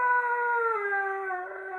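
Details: A Siberian Husky, protesting when his owner seems ready to leave without him, gives a long, smooth howl that slowly slides downward in pitch.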